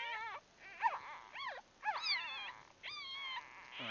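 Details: Bulldog puppies a day old, grouped in their birthing nest, give a rapid run of thin, rising-and-falling squeals and whimpers, several overlapping, with brief gaps between bursts.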